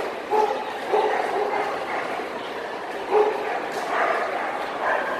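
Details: Ibizan Hounds, males of the working and champion classes, at the Swedish Winner dog show in Stockholm on 18 December 2009: a few sharp, tonal barks in clusters, with hall murmur and voices behind.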